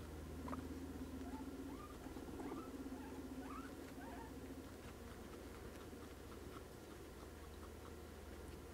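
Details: Sixteen pet guinea pigs during their morning routine give short, rising squeaks in a quick, loose series, with soft pattering and rustling beneath and a steady low hum throughout.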